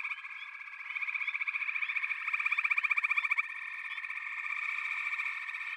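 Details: Chorusing frogs produce overlapping pulsed trills. A prominent beating call builds in the middle and fades, and softer callers keep up a continuous high buzz throughout.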